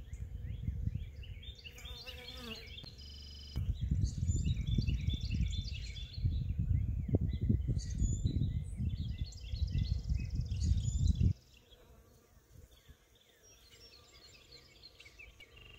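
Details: Western honey bees pollinating early spring blossoms on neighborhood trees in Tennessee buzz close by, a low droning hum that swells and fades, with faint birdsong behind.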